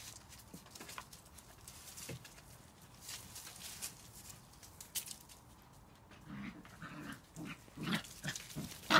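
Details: Border Collie puppies of an E-litter, five weeks and five days old, amid scuffling and shuffling noises, with short harmonic whimpers and yelps growing louder toward the end.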